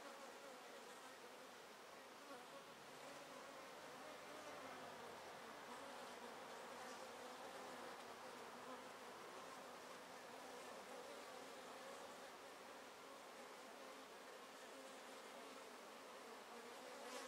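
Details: Honey bee colony in a top bar hive, untreated for Varroa for over two seasons, bees busy at the entrance holes. Broad, even buzzing hum of many insects with a hissy background throughout.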